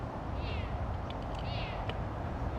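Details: Recorded on a bonus tour at a big cat rescue where foster kittens are kept: a cat gives two high, thin, drawn-out meows about a second apart, each rising then falling, over a steady low rumble of wind or handling noise.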